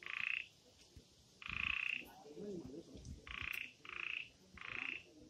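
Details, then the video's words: Frogs in the forest of the Amboli hills, Sindhudurg, with no background music: short buzzy trilled bursts, about half a second each and high-pitched, come five times in quick succession over a quieter hum and faint clicks. "आंबोली | बेडकांचे आवाज | sounds of frogs Amboli hills"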